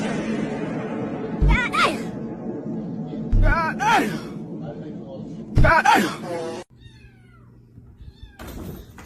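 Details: A domestic cat meows three times, about every two seconds. Each meow is short, its pitch bending up and then down, over a background murmur of voices.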